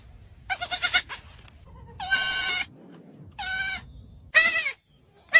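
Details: Domestic sheep kept together with puppies, giving four separate bleats over about five seconds, each nasal, quavering and rich in overtones, lasting half a second or less, divided by quiet gaps with a faint low rumble.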